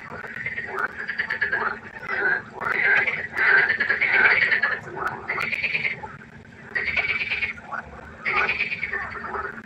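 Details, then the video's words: Frogs croaking at night by a pond in distinct buzzy bouts about a second long, separated by short lulls, several animals overlapping, a steady low hum beneath. "1 Stunde Froschkonzert. Frosch Geräusche quaken. Frösche Geräusche Konzert"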